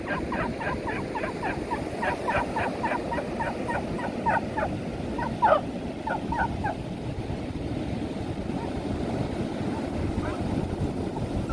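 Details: Female beagle Smudge runs and plays with other dogs at the seaside, giving fast strings of sharp yaps for about seven seconds, then falls mostly quiet under continuous breaking waves and wind rumble.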